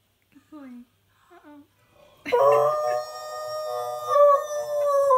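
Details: A Husky/Malamute mix howls along to favourite TV adverts indoors, giving a long, sustained, wavering howl after a few soft opening sounds.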